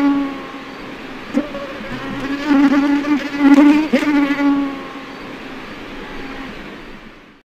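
A mosquito's thin, steady whine, swelling louder as it passes close, then fading away.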